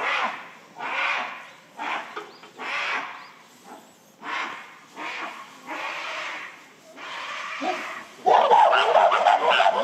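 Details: December 2023 breakfast commotion in the Shabani Group, where female Nene and son Kiyomasa chase the huge silverback Shabani. Rough screaming comes in uneven bursts, then turns into a loud, piercing, sustained shriek near the end.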